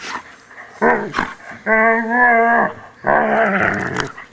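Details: Poodle during grooming: a short snarl, then a steady, tonal, held growl lasting about a second, then another rough, wavering growl.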